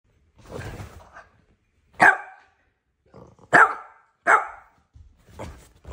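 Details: Boston Terrier barking indoors: a low muffled huff, then three sharp, short barks spaced about a second apart, followed by softer quieter yips in a small quiet room.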